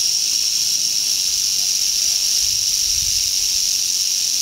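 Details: Continuous rasping buzz from a western rattlesnake (Crotalus oreganus) on a trail in Andrew Molera State Park near Big Sur, California, on August 15, 2010, even and unbroken, with a soft low rumble midway.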